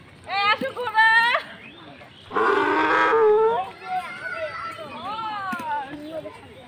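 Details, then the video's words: Donkey braying: a run of short, squeaky, strained tonal notes, then a long, rough, breathy blast, followed by further wavering, sliding honks that fade out. "Donkey/Ass Sound Effect"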